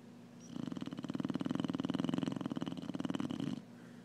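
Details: A sleeping Clumber Spaniel snoring loudly indoors: one long rasping, rapidly fluttering snore lasting about three seconds, low and buzzy, rising in loudness then cutting off, with quiet room hiss before and after.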